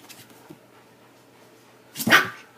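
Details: Shiba Inu giving one short, sharp bark near the end after a quiet stretch, with faint background noise before it.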